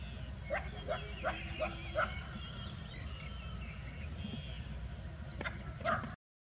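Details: Village street dogs, a bulldog and a Labrador retriever interacting in a rural setting; a run of five short sharp barks roughly every third of a second, then quiet, then two more barks near the end over steady low background rumble.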